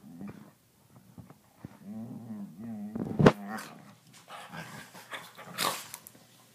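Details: Two border collies making seal-like sounds indoors: a run of wavering, moaning groans with a rich nasal tone, pulsing in short bursts, then a sharp snap and rustling, breathy noises.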